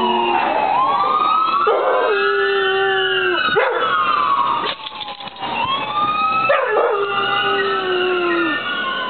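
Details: Yellow Labrador Retriever named Millie joining in with passing sirens near her home, giving drawn-out, slightly falling howls that rise and fade alongside the sweeping, wailing siren tones, which stay loud throughout.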